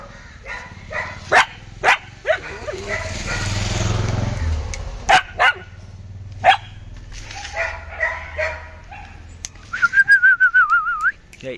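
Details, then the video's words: Belgian Malinois during obedience training, told to sit: sharp, loud barks come in irregular bursts between spoken commands, with a man's voice and a wavering, high squeaky whistle near the end. "Belgian malinois vlog"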